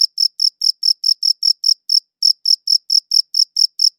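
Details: Crickets chirping, captured with a good audio recorder: quick, sharp, high chirps in a fast regular beat, with one brief gap near the middle, then the same rhythm again, no other sounds.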